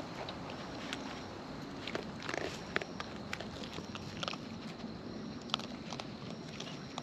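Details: Wild raccoons eating close up, with natural chewing sounds: wet, irregular crunches and sharp biting clicks spread over several seconds, some louder snaps near the middle, above a steady low background hiss.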